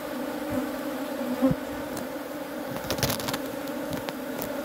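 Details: Honey bees buzzing in a steady droning hum with a low fundamental and stacked harmonics, punctuated by a few brief clicks and knocks around the middle.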